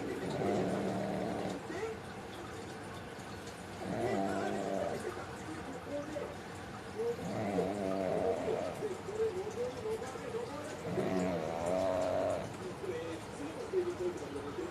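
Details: Deeply sleeping pug Mame snores steadily: four coarse, wheezing inhalations about a second each, repeating every three to four seconds, the last ending in a faint whistling edge.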